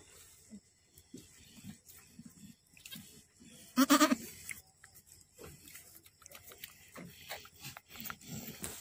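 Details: On a farm in Aceh, Indonesia, a Boer goat giving birth to twins: a single loud, quavering bleat with rich harmonics mid-clip, surrounded by soft shuffling, faint grunts and clicking sounds.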